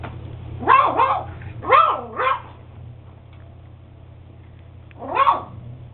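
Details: Beagle puppy Max, eight weeks old, barking in paired high yelps that bend upward then fall, two pairs close together and a single yelp after a three-second gap, low hum throughout.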